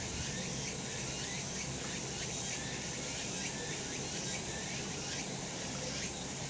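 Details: Cicadas singing in the mountains in summer, in a sunny spot: a dense, steady high-pitched hiss fills the air, with faint short rising strokes pulsing through it over a constant low rumble.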